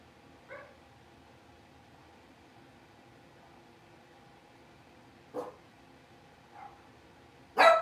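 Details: Young Blenheim Cavalier King Charles Spaniels, five puppies born at New Year, settling into a larger pen: a faint yip, then a short bark, another soft yip, and a final loud, sharp bark against quiet indoor background.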